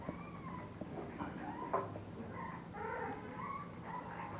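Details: Several English bulldog puppies from one litter whining and squealing, wavering high-pitched cries overlapping in quick succession, with soft rustling and a low constant hum behind them.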